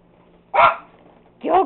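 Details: Two loud, harsh barks from household pet dogs, roughly a second apart, while an owner urges them to go get him; faint low hum in the background.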